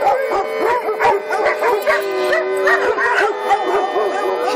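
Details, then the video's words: Group of daycare dogs singing along to the monthly Lucas County emergency siren test, first Friday of the month; many short arched howls and yips overlap continuously above a sustained siren drone. "Doggie Daycare Monthly Siren Howling"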